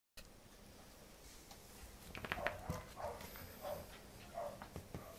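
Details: Pembroke Welsh Corgi puppy playing against a hand, giving a run of short, mid-pitched whiny yelps in roughly even steps over three seconds, with soft rustling and handling noise indoors.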